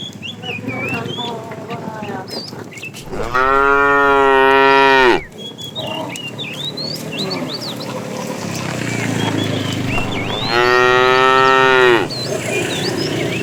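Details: A cow in a herd of tame cows wandering far in search of food gives two long, drawn-out moos, with birds chirping in the background.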